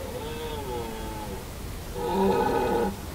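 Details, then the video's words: Red deer stag roaring, Hoge Veluwe, 2017: a drawn-out wavering harmonic moan followed by a louder, harsher bellow, with faint low background noise. "Burlende herten 2017 Hoge Veluwe"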